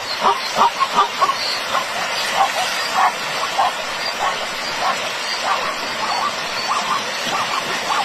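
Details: Yelping, hoarse barks from a zebra ambushed by crocodiles come in quick bursts, then thin into scattered calls under a wash of broadband noise and faint voices.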